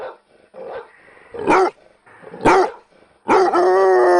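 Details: Dog giving short soft yaps, then two sharp loud barks about a second apart, ending in a long, steady, drawn-out tonal cry with rich harmonics.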